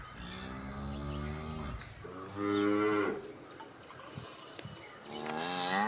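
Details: Cow moos in close succession: a long harmonic low, a shorter louder one dipping down at the end, then another starting, over a hissy background with a faint high whine.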